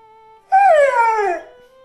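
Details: Pit bull dog "talking" and communicating with its owner: one drawn-out whining howl lasting about a second, wavering briefly then sliding steadily down in pitch, over soft steady background music.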